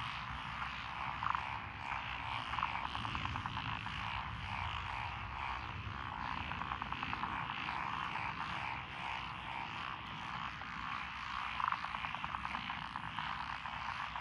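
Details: Night-time-style frog chorus in lotus rice paddies by a country lane, Echizen City, Fukui, June 2021; steady overlapping croaks from many frogs, occasional nearer sharp notes, and a low rumbling undertone.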